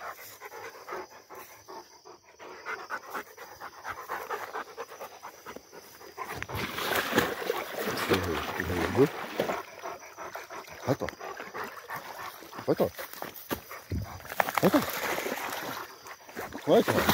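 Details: Rottweiler, one of two dogs coming down from a tower: rapid, breathy panting in rhythmic bursts that grows louder after the first few seconds, mixed with people talking and handling noise.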